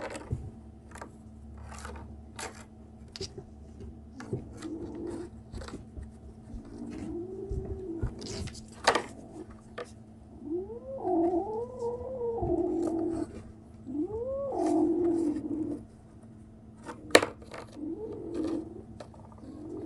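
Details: Kitten 37 days old, Berry's baby, making strange noises indoors: a run of short, arched, squeaky mews rising and falling, some in quick pairs, in the second half, with scattered clicks, tapping and handling noises in a small room.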